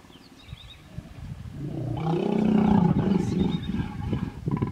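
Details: Hippopotamus in a small pod in the Vurhami River, Kruger National Park, South Africa, during a stand-off as a female defends her young against an approaching male; a low, rumbling roar swells after two seconds and holds, with faint bird calls behind.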